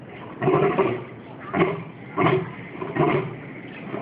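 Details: Old male lion calling out over its enclosure at Singapore Zoo on 14 January 2013, captured on a mobile phone: four deep, coarse bursts about 0.7 seconds apart, each throaty and broad, with a faint background hum between them.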